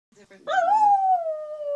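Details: Wire haired terrier singing along to flute playing; a few soft yips, then a sudden rising howl that peaks and slowly slides down into a long held tone.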